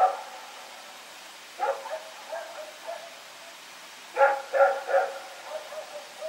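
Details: Barking in the night from Rex, a dog running around, recorded 21 September 2018: scattered single barks, then a tight burst of three loud barks followed by softer trailing ones, with faint hiss behind.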